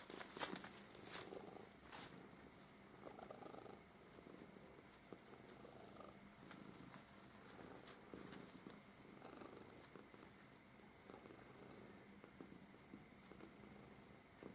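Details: Domestic cat purring softly while a paper streamer winds around it during play; a low, steady, continuous purr under frequent crackling paper rustles and soft clicks.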